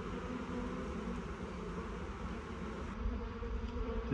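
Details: Swarm of honey bees settled into a new hive box, a thick continuous buzzing drone with low rumbling beneath, slightly louder toward the end.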